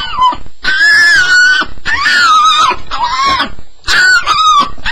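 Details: Staffordshire Bull Terrier on its first night, making a sound the owner calls a nightmare: long high whines that rise and fall, several drawn-out cries in a row with short gaps between them.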